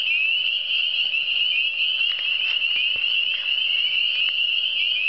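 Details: Chorus of frogs from the Eastern Townships: a continuous high-pitched trilling wall of sound, steady in loudness, with a few brief clicks and a soft steady hum in the background.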